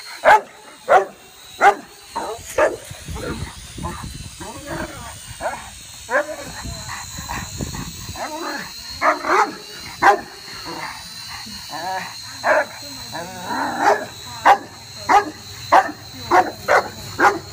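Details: A Rottweiler barks at a toy drone in its air-space in loud, deep bursts, roughly one or two per second, over the drone's steady high whine.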